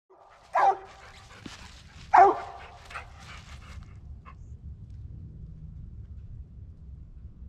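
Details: Original Mountain Cur squirrel dog hunting squirrels near black walnuts and hickory flats in the last hour of daylight; two loud separate barks about a second and a half apart, then quiet woodland background.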